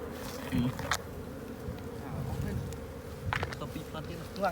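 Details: Swarm of wild honey bees humming steadily from a hollow tree during a honey harvest in Cambodia, with short bursts of men talking and knocking sounds over the drone.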